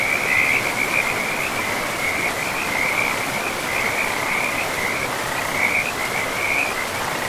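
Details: Frogs calling beside a river in a pristine forest with trees and moss-covered land; a steady, high-pitched chorus of overlapping trilled croaks pulses continuously over the broad, even rush of flowing river water.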